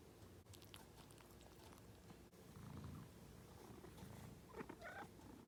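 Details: Domestic cat asleep, giving a low, rough, rumbling snore that swells in the middle and fades, with a few brief higher squeaks near the end.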